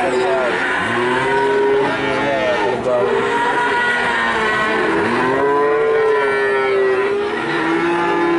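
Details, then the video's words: Calf in Nganjuk, Indonesia, said to look like a water buffalo, mooing repeatedly in drawn-out, wavering tonal calls that rise and fall, several overlapping voices, with faint traffic and voices in the background. "Pedet Sapi Nganjuk"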